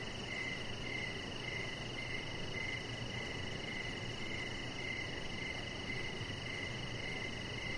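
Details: Evening cricket chorus near a deck with a resting Chihuahua puppy, Rocket; a bright chirp recurs roughly every half second, steady and unbroken, against constant broadband noise and a faint low hum.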